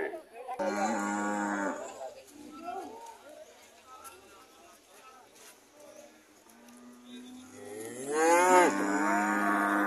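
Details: Red cows returning home, with two loud moos, one near the start and one near the end, separated by quieter murmuring and faint lower calls.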